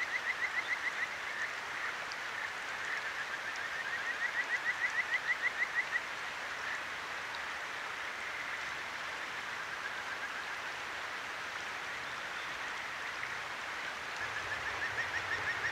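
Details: Kajika frog at a clear stream in Tokyo's Akigawa Valley at night, captured with a ZOOM H6: two brief runs of quick, evenly spaced chirps, the second lasting about two seconds, then mostly steady babbling water.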